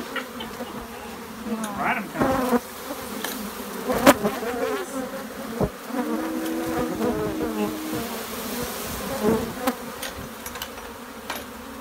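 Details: Africanized honey bee colony in a shed being removed by hand, bees clinging to a person's finger: continuous low humming drone, with intermittent speech, sharp clicks and handling noises over it.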